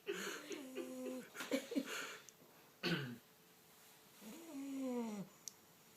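An English Bulldog snores in wheezy, nasal bursts, some drawn out into droning tones that slide downward.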